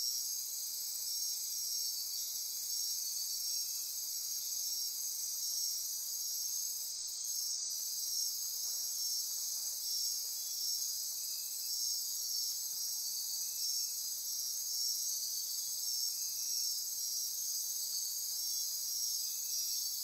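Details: Dense nocturnal insect chorus in Costa Rica rainforest near Corcovado National Park on the Osa Peninsula, at midnight: continuous high shrill trilling and pulsing bands, steady throughout, with faint lower chirps beneath.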